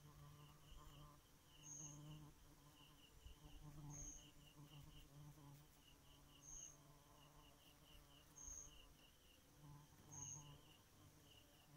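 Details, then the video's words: A bee at night keeps up a low, rich buzz that pulses gently. A short high whistle recurs about every two seconds over a steady bed of insect chirping. "Bee at night"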